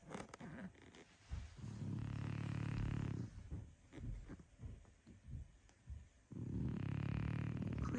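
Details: A sleeping French Bulldog snoring after a restless night, indoors; two long, loud, rough low-pitched snores about 1.5 seconds each, separated by quieter breathing and snuffling.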